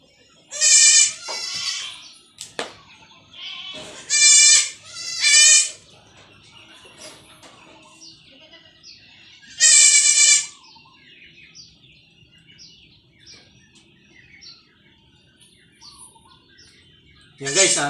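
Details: Young goats being injected with iron give scattered, sharp, quavering bleats, a few in quick pairs, with long quiet gaps between them and a faint background hum.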